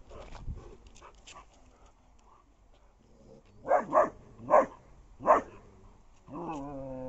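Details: German Shepherd in a fight with a frightened street dog: a quiet start with faint scuffling, then four loud, rough barks in quick succession in the middle, ending in a drawn-out, tonal whine.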